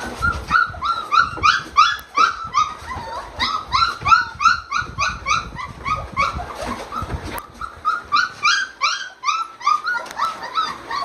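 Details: Excited male Brittany spaniel greeting his puppies nose to nose, giving a rapid, nearly continuous stream of short high whines and squeaky yips, about three a second, with brief pauses, sniffing and rustling underneath.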